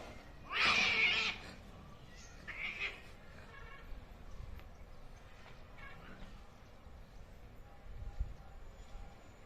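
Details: Angry cats fighting: one harsh, noisy screech burst near the start, then fainter scattered yowls and rustling against a quiet background.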